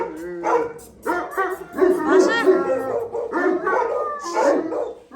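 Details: Gull Terrier (Gultair) dogs, a male and a pregnant female, kept at a kennel: drawn-out, wavering howls mixed with barks in an irregular, nearly unbroken stream.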